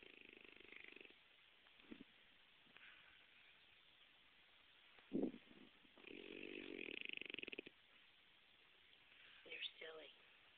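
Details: Otto, a French Bulldog kept as a pet and known to snore even when awake, in a room. Quiet rasps and a sharp snort lead into a longer stretch of throaty, pulsing snoring, ending with a brief voice.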